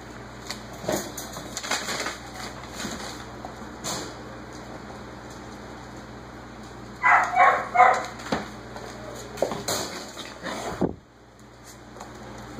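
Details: Background barking from the whippet Jaxson, signalling that dinner is finished, comes as a burst of four or five rapid barks midway, amid the knocks, scrabbling and rustling of six-week-old Basenji puppies at play.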